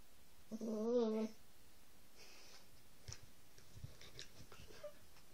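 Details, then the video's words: Two Whippets, Roxy aged three years and seven-week-old puppy Lilah, during rough play: one drawn-out, wavering, nasal whine lasting under a second, then soft rustling and breathy movement. "Whippets playing rough"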